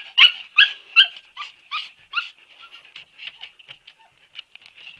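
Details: High-pitched whimpering from Siberian Husky puppies: a run of loud, sharp yelps about every half second, fading into quieter, breathy whines and squeaks.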